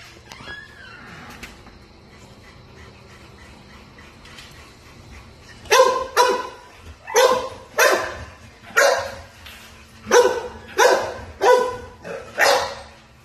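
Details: American Bulldog puppy at play, giving a series of about nine sharp, loud barks roughly every half second to a second in the second half, after a quiet start with a faint high whine.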